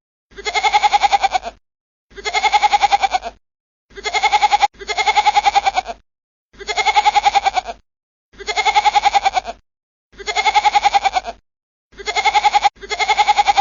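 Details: A goat bleats repeatedly, each wavering, nasal call lasting about a second, with brief pauses between.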